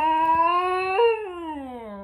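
A Basenji gives its yodel-like baroo, a rising then falling tonal howl.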